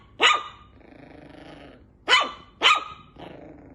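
A Shih Tzu gives sharp, high barks, three in quick succession with a low growl between.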